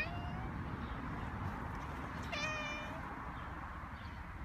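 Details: Outdoor park meeting between Tanuchiki, a friendly long-haired brown tabby stray thought to be a former pet, and a stray female kitten. A single clear harmonic meow rises then flattens near mid-clip over steady low traffic-like rumble.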